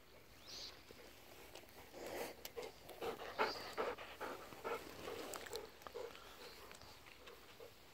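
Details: Morning rough-and-tumble between golden retrievers Kohaku and Ibuki on October 15, friendly play with biting; quick rhythmic panting about two and a half breaths per second, mixed with short low grunting whines and rustling.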